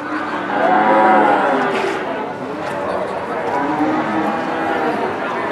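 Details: At Kunden market in Wirosari, Central Java's largest livestock market, a huge Limousin bull or cow lets out a loud, resonant moo lasting about a second, then softer lowing under busy crowd voices.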